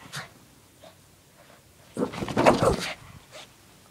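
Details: Pet Shih Tzu Lacey, acting silly with her pink puppy blanket and doing zoomies in a room. A short snort, then a loud, raspy, panting-like burst lasting under a second, followed by a soft final huff.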